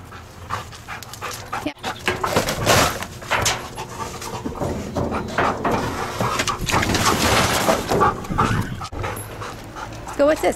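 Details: Camper, a dog being tested as a detection dog candidate, pants in rough, breathy bursts at an uneven pace of about one or two per second, while a handler's voice urges him on and praises him.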